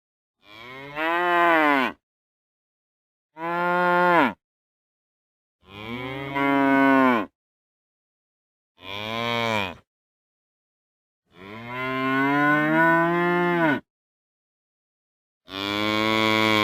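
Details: Real cows mooing in a compilation: six separate drawn-out moos spaced irregularly about every two to three seconds, each rich and harmonic, some bending downward at the end, with clean silence between.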